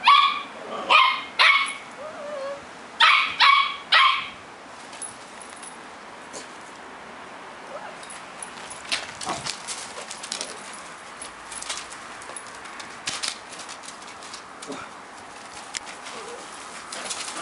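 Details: Three playing puppies, a Havanese, a Cockapoo and a Shih-poo: a quick cluster of high yipping barks in the first four seconds, then mostly scuffling, thumps and faint movement noise with only scattered soft sounds.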